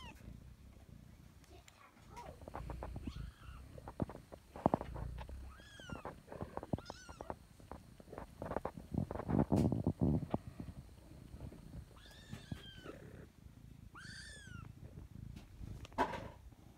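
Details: A five-week-old baby kitten meows in short, thin, high rising-falling cries, scattered at about six moments across the recording, over handling rustles and low thumping noise.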